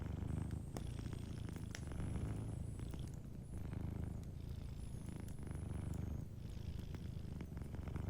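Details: A domestic cat purring in its sleep by a warm fireplace. A dense, deep purr swells and fades with each breath. A faint high steady whine runs through parts of the background, and a few fire crackles are heard.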